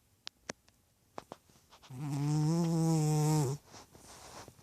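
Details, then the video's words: A chubby domestic cat snoring: one drawn-out, low, buzzy snore lasting under two seconds. A few soft clicks come before it, and quiet room noise follows. "Chubby cat snoring"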